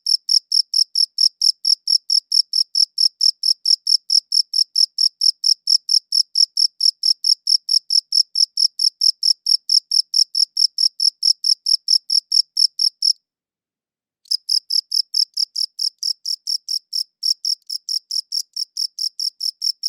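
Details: Long run of rapid, high cricket chirps, evenly pulsed, broken by about a second of silence midway, then resuming at the same pace; clean, quiet background.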